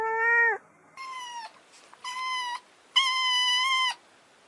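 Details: Kittens meowing: a series of loud, sustained, bright meows, each half a second to a second long, three or four in quick succession with short pauses between.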